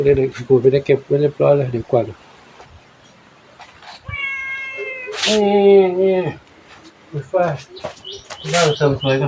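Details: Two cats, one small and one big, play with an elderly monk at Wat Pong Chai temple, Chae Hom, Lampang; a long, drawn-out meow lasting about two seconds, dropping lower midway, between stretches of people talking.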